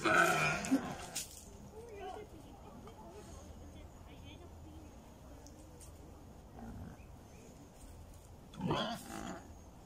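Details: Wild boar, a fat boar and a black boar, fight, giving harsh, broadband squeals and grunts in two loud bursts.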